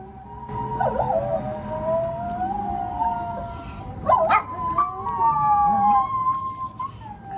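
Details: Poodles out walking around a Self-Defense Force base; a drawn-out, wavering howl with pitch swoops near one and four seconds, holding long tonal notes that rise and fall across the clip.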